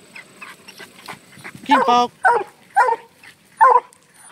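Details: FOG, a Black and Tan Coonhound, barking at a treed raccoon freed from a cage: faint clicking and rustling first, then one longer drawn-out ringing bark followed by three short, sharp barks spaced roughly half a second apart.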